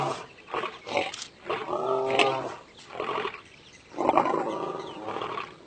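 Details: A lying lion roars without any sign of distress; rougher, softer bursts swell and fade, with two stronger harmonic roars around the second and fourth seconds.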